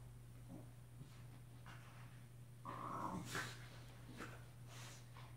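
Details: Shiba Inu dog playing indoors, giving short throaty growls and snorting grunts, with a louder rasping burst around the middle and scattered softer huffs, over a steady low electrical hum.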